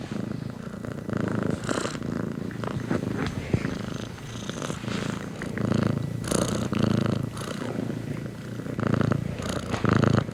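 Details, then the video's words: House cat purring in a rhythmic rumble that rises on each inhale and exhale, with steady low throbbing and light breathy hiss. "Cat Purrs"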